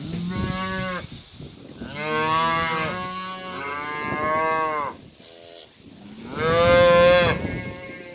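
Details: Cows and calves heading to summer pasture on a farm; a series of loud, drawn-out moos, about five, some deep and steady, one higher and wavering, with short pauses between them.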